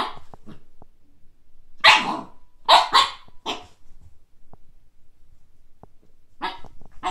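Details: Young Siberian Husky, Kake, meeting a frisbee for the first time: loud, harsh barks in a cluster around the middle, then a pair of shorter barks near the close, with quiet clicks and rustling between.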